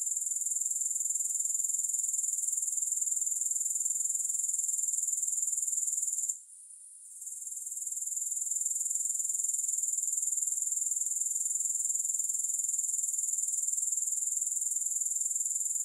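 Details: Continuous shrill insect trill from grasshoppers, very high and even, with fast regular pulsing; one short break partway through before the chorus swells back to full strength. No music.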